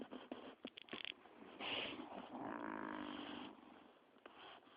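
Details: Resting dogs Chaos and B on the sofa give breathy, snuffling snores with quick sniffs and clicks, then a long wheezy rattling exhale before quieting down.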